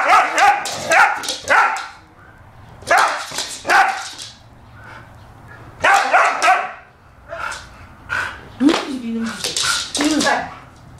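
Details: A female Siberian Husky at play makes short, sharp barks and yips in clustered bursts, with pauses between them, while a person speaks Korean in the background.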